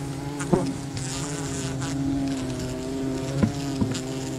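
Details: Wild colony bees buzz loudly as honey is gathered, a clean sustained drone with bright stacked overtones and a fainter higher whine, punctuated by three sharp knocks.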